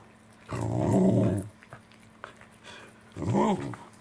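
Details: Corgis Roku, Angela and Kuro being fed saury, recorded 10 November 2020; two deep grumbling growls, the first about one second long, the second shorter and rising then falling, separated by soft chewing and clicking sounds.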